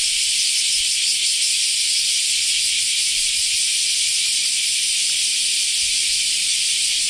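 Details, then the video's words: Summer cicada chorus in Japan, heard once the rainy season has finished: an unbroken, shrill, sizzling drone that holds at one level for the whole stretch, with no other clear sounds. "sound of summer in japan semi insects"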